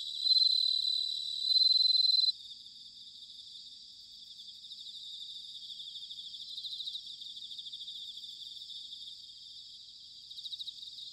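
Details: High, ringing trills of bell crickets in autumn at Sanuki, Chiba, Japan, loudest in the first two seconds, then a softer continuous pulsing chorus with small swells near 7 and 10 seconds.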